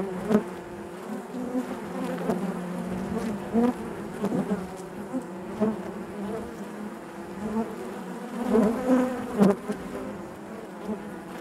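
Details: Honey bees humming within their hive, a thick continuous drone with frequent short swelling buzzes from individual bees moving close by, intensifying toward the end.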